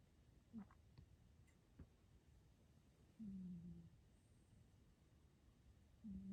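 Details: Calvin, a short-nosed pet cat, snoring and talking in his sleep indoors; faint low buzzy snore bursts, one short and one drawn out for under a second, then another starting, in a quiet room.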